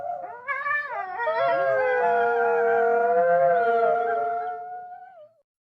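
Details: A pack of wolves howling; one gives a long, steady howl that rises at the start and fades away after about five seconds.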